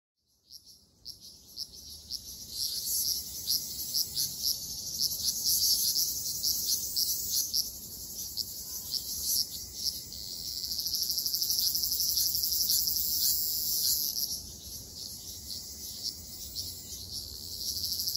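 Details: Ryukyu large brown cicadas in a summer forest in Okinawa: a dense, high, sizzling buzz that swells and fades, loudest around the middle and again toward the end, then eases off, with a continuous hissing chorus underneath.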